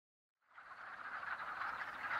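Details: Wood frogs at a woodland pond in early spring, calling during their annual mating ritual: after a brief silence, a dense chorus of rattling, clucking croaks swells and holds steady.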